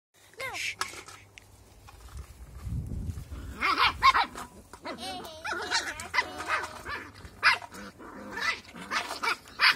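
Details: Cocker Spaniel pups just under eight weeks old yelp and whine in high, bending squeals, several voices overlapping.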